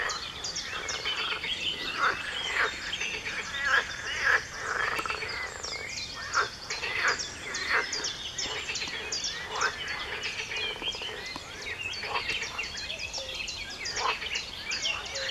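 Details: A dawn frog chorus at 4 a.m., 23 June 2019: short loud croaking bursts repeat irregularly over a constant background of many frogs, with faint bird chirps mixed in.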